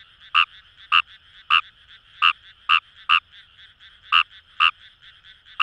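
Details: In rice paddies of Itoshima, Fukuoka, a Fejervarya kawamurai gives loud, clipped croaks roughly every half second, with a brief pause midway, above a continuous background frog chorus.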